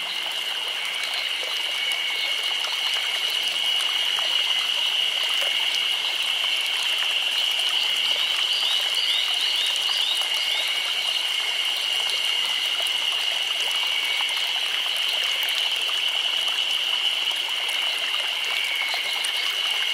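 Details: Chorus of cicadas in summer in Nagano Prefecture, Japan: a dense, unbroken shrill buzzing with two steady high-pitched tones held evenly for the full twenty seconds, with a hiss that could be water.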